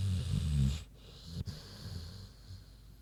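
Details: Big pig Queenie asleep, a deep rumbling snore fading into soft, low breathing.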